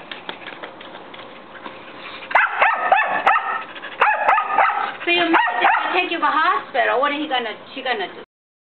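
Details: Wanting to play, a young white mixed-breed dog around a year old barks repeatedly at an older long-haired Chihuahua that ignores her. A quiet start gives way to a volley of quick barks, then wavering, whining sounds and voices.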